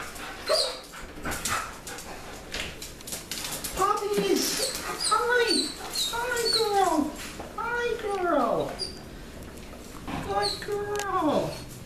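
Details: Excited German Shepherds, a smaller female named Sasha and a bigger male, greeting their owner coming home after work; high whines rise and fall in arching cries, repeated several times, with a person talking over them.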